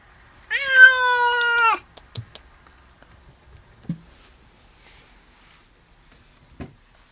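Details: Honey Delite, a recently adopted barn cat who has lately come out of her shell and accepts petting, lets out one loud, slightly falling meow lasting over a second, followed by faint soft clicks and rustles indoors.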